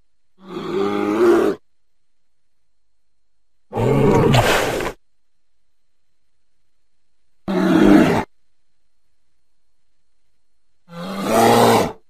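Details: American black bear, a North American omnivore: four separate rough, roaring growls roughly every three to four seconds, each about a second long, broad and noisy with a low throaty base, cut apart by dead silence.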